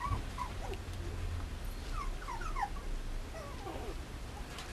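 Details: Female mame shiba inu puppy whimpering: a run of short, high, thin whines that slide downward, loosely spaced and bunching up near the middle, over a low steady background hum.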